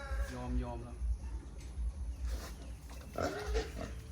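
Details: Captive wild boar on a farm on 12 January, a breeding male kept with a newly introduced animal and a female that is not yet ready. Deep, short grunts pulse about every half second under a man's talking.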